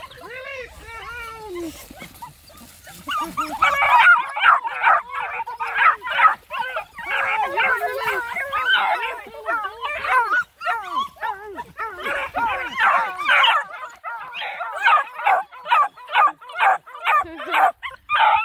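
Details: Black and Tan Coonhound puppies, nine of them, hiking by a pond: a man's voice at first, then a rapid chorus of short yelping barks repeated more than twice a second, overlapping and rising in bursts.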